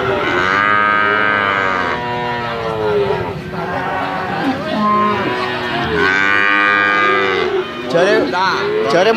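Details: Bali cattle, medium size and ready for slaughter, at a livestock market. Several overlapping moos, some falling in pitch and others rising, follow one another almost without pause. Market noise and a few voices sit faintly behind.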